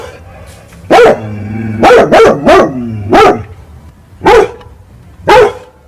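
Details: Angry dog reacting at night to fighting cats, giving loud rough barks, one alone, then a fast run of three, then spaced single barks, with a faint low hum underneath.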